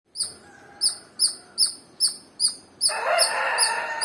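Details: Squirrel chirping: about seven sharp, high, clipped chirps repeated roughly twice a second, then a burst of broad rustling or scraping noise that covers the last second.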